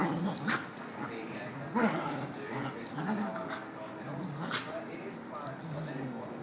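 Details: Puppies at play, a scuffle of low growly grumbles and short yips in uneven bursts, with clicking knocks and thumps of movement throughout.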